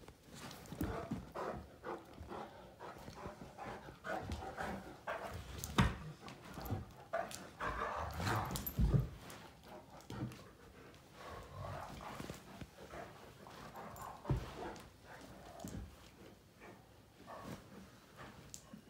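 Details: Male Great Danes Finn and Magic play at mouth fighting until worn out: rough low growls and grumbles rise and fall among bumping, scuffling knocks, with snorting breaths between bursts.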